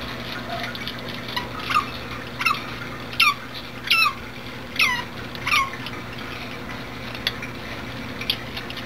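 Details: A female Asian small-clawed otter, a chatterer who keeps calling while begging for and eating food, gives six shrill, downward-sliding squeaks, about one every 0.7 seconds, over a low indoor hum at an aquarium.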